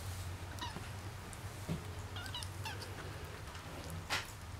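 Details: Three-week-old kittens running around indoors, giving faint, thin, high-pitched mews in short separate squeaks, over a steady low hum and light scuffling.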